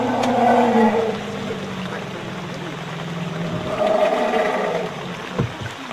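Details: A herd of Asian elephants harassed by a tiger in Royal Belum State Park, Perak, Malaysia, gives deep, droning rumbles overlaid with higher, moaning roars that swell and fade.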